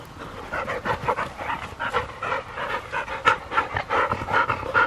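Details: Field-type Labrador Retriever sisters, 15 months old, one black and one yellow, racing to see which runs faster; rapid rhythmic panting about two and a half breaths per second, loud and close, no other clear sounds.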